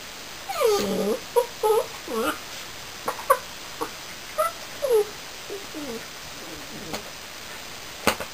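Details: New Border Collie puppy whining indoors: a string of thin, high whimpers that slide downward, some short and clipped, others drawn out, coming in uneven bursts with brief quiet gaps in a small room.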